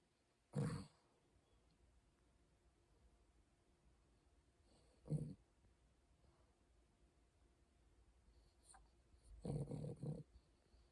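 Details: Bichon Frise dog snoring while asleep, soft low rasping breaths recurring about every four to five seconds, each a brief rough burst, over a quiet room hum.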